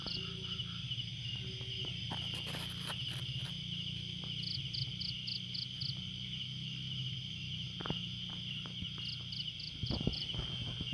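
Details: Crickets on a still night in a garden keep up a shrill continuous trill, broken by groups of four to five quick higher chirps, with soft taps, clicks and a low background hum.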